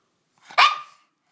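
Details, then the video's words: Shih Tzu angry at a bath towel at bath time: one short, sharp, high yap lasting under half a second, with a person's voice around it. "Angry Shih-tzu"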